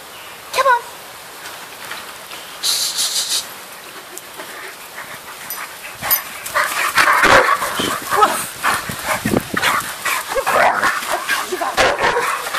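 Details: Three Irish Wolfhounds chasing each other in a garden, the noisy one being Keeva, a female; scattered yips and barks building from about six seconds into dense bursts of rough vocalising, with a brief earlier yelp and rustling movement.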